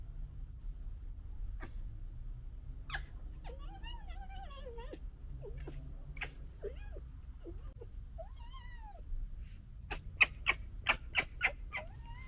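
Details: Red foxes of the 2021 litter fighting and gekkering: several short rising-and-falling whines and yelps, then a rapid series of sharp, loud chattering clicks over the final two seconds.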